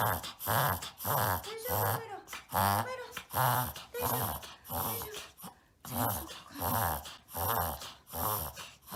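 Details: Pet Shih Tzu puppy Maron, one year old, in America, wheezing through a reverse-sneezing episode indoors, filmed for the doctor: a long run of harsh nasal snorts about every 0.7 seconds, briefly pausing midway before resuming.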